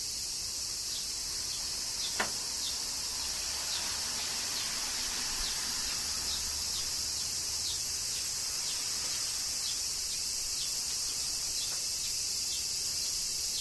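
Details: Steady, shrill cicada song during summer rain in Kyoto, Japan, with repeated light tick-like drops pattering across it and one sharper tap early on, over a faint low rumble.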